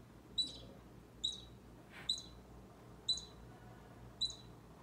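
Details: Short, sharp high squeaks from a baby squirrel near Bushy the orange cat, five evenly spaced notes a little under a second apart, plus one soft scuffing noise in the middle.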